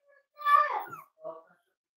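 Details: Cavalier King Charles Spaniel puppy, six weeks old, kept indoors, utters one loud, falling, nasal whine lasting about half a second, then a shorter, softer whimper.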